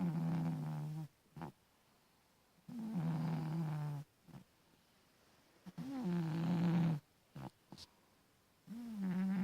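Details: Domestic cat asleep and snoring: low rumbling, droning snores of about a second or more each, three full breaths with a fourth starting across nine seconds, separated by quiet gaps with small soft sniffs and clicks.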